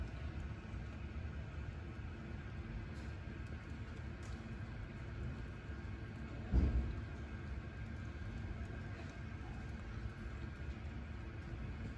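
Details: Quiet low traffic hum with a single dull thump midway, no animal voice.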